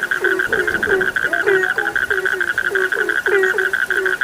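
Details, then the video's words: Several frogs call together, each croak a quick low note dropping slightly in pitch, tumbling out in uneven bursts against a constant high-pitched whine in the background. "The sound of frogs lulls sleep, 30 minutes you fall asleep soundly.( Suara katak Penghantar Tidur )"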